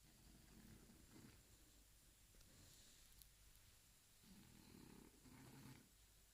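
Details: A sleeping Shar Pei snores in low, rough, rumbling breaths, with soft purr-like bursts swelling and fading in a slow rhythm, loudest near the start and again toward the end.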